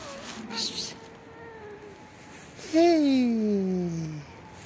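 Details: Hungry black kitten that hides under trees and waits every day to be fed gives one loud, drawn-out meow that slides steadily downward in pitch over about a second and a half, with faint rustling and a softer earlier call.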